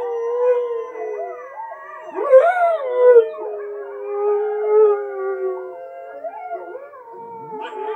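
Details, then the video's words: Siberian husky named Richie howling along with wolves playing on TV; long overlapping wavering howls, several voices at once, sliding up and down with a sharp rising swoop midway. "Husky howling to wolves on tv"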